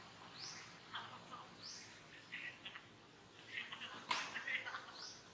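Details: Young monkey at Angkor Wat Park crying while another monkey disciplines it: thin, high arched cries, rising then falling, repeated about every second, with softer chirps and brief squeaks between, faint against steady background hiss.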